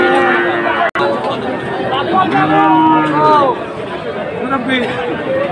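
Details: Friesian and cross-breed heifer calves bought by Dhaka farmers on 12 August 2024: a drawn-out, wavering moo rises and falls midway, set against steady crowd chatter and voices throughout.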